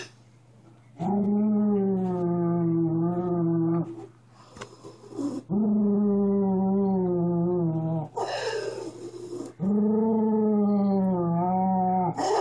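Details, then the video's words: A pet Miniature Schnauzer growling indoors: long, droning, tonal growls of about three to four seconds each, slightly wavering in pitch, separated by short pauses with a brief noisy rustle between them. "My Miniature Schnauzer Growling"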